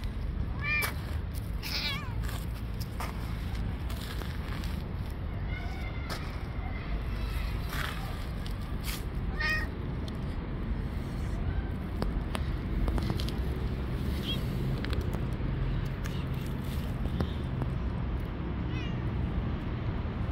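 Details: Hungry stray cats on the street meowing again and again, short wavering meows spaced irregularly across the stretch, some overlapping faint clicks and knocks, over constant low urban rumble.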